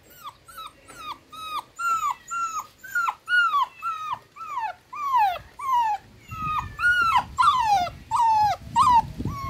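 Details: Miniature dachshund puppies suckling milk beside their mother, one little puppy afraid: high whining squeals, each sliding downward, repeated almost twice a second in a steady run, with soft rustling and muffled shuffling underneath toward the end.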